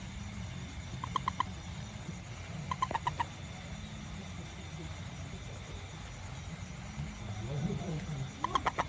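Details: Small toad out after rain, searching for ants around a home garden, repeats short groups of three or four quick, clicky croaks separated by several seconds of quiet, against a low humming background.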